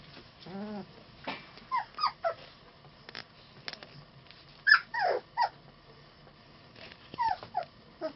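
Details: Three-week-old puppies from litter H whimpering: thin, high, wavering cries in short bursts, some rising and falling, scattered across the recording with quiet gaps and a few soft clicks between.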